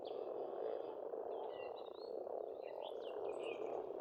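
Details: Croaking frogs fill a spring pond in Estonia with a steady, throbbing chorus; above it, birds add quick whistled notes and short rising and falling trills.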